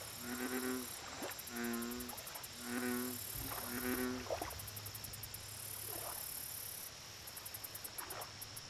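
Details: Four deep, booming croaks from an American bullfrog at a lake open the recording, spaced about a second apart, then stop. Bursts of high, rapid insect trilling and a steady hum continue afterward.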